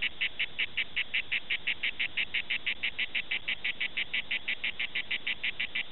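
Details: Grey cicada (Cicada orni) singing at Prades, southern France: rapid, evenly spaced rasping pulses, about five per second, over a low rumble.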